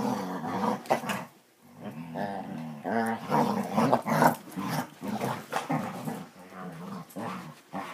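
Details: Basset Hounds at play indoors, growling almost continuously in rough, rumbling bursts that rise and fall roughly twice a second, with brief bark-like accents and sounds of scuffling.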